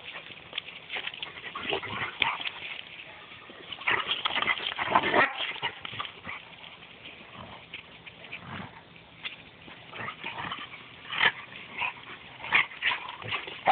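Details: Rhodesian Ridgebacks in Mombasa, recorded on a phone: scattered short whining and yelping bursts across the clip, with louder clusters near the middle and end, plus shuffling and handling noises between them.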